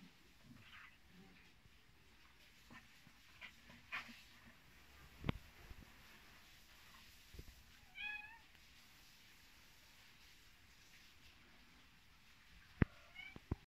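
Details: Mother cat with her kittens in Vratnik, Sarajevo; a short, clear, tonal meow rises and falls midway, with a few fainter mews near the start and end, sharp clicks and taps, and a low steady background rumble.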